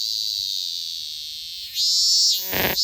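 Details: Robust cicada song: a steady, shrill high-pitched drone that swells into a louder, wavering phrase near the end.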